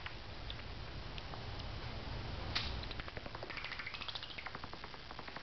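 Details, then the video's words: An angry bat concealed in the rafters of a home carport at night makes a single sharp knock, then a rising string of thin squeaky chirps over a low steady hum. "Angry Bat In My Carport"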